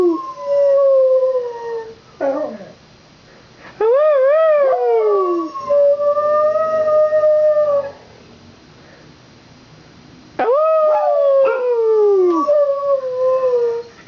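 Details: Two dogs at home keep howling after fire truck sirens from a Santa Fire Truck Parade pass by; wavering, quavering howls alternate with steady held notes, several sliding down in pitch, separated by brief quiet stretches.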